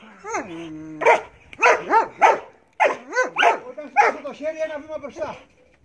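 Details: Marley the Belgian Malinois barking during bite work: a drawn-out whine opens, then a run of excited, arching barks, with a man's voice speaking Greek mixed into the later part.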